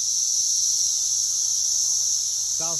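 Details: Brood X periodical cicadas in a chorus in a pear tree in a back yard in South Central Indiana, measured near 113 decibels; a loud, steady, high buzzing drone without pause, with a brief low sound at the very end.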